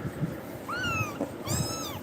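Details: Frightened kitten crying out after being startled by Tiger: two clear, high, tonal meows, the first rising then sliding down, the second a long falling wail, over faint rustling and a quiet room.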